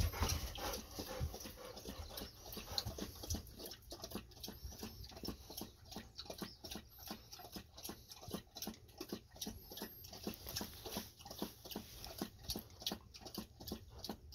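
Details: Golden Retriever drinking heavily after a walk, before a treat: rapid, steady lapping splashes, roughly three per second, continuing through the whole stretch indoors.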